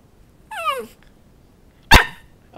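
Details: Bowzer, a pet dog learning to speak on cue for a piece of chicken held above him, gives a short falling whine followed by a single sharp bark, with the owner's voice coaxing and praising around it.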